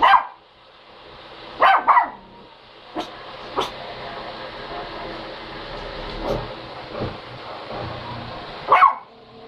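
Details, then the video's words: A dog barking: a single bark at the start, a quick double bark near two seconds, then a final bark at the end, with faint knocks and a steady background hiss between. "Look I can Bark"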